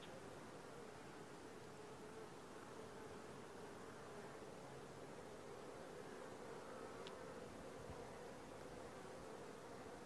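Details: Honey bees at the landing board of a new Langstroth hive, four days after being transferred from a nuc; a steady, dense buzzing hum runs unbroken for ten seconds, with one brief sharp click near the seventh second.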